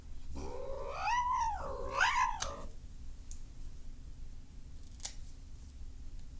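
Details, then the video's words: Angry domestic cat indoors, upset while having his nails clipped, giving two wavering moaning yowls that rise and fall, followed by quiet room noise with a few clicks. "Cat's Nail Trimming SFX"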